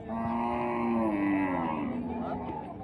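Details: Gaolao cattle, a native desi cow breed, at a cattle exhibition in Wardha, Vidarbha; a sustained, low, harmonic moo lasting about two seconds and sagging slightly in pitch, with crowd and loudspeaker noise behind.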